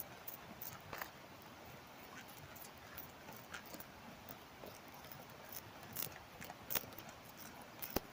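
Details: Tobacco hornworm (Manduca sexta) larvae reared at home in Germany, summer 2023, chewing leaves, picked up with a headphone microphone held to the leaf: soft, irregular crackling clicks and crunches over a faint hiss.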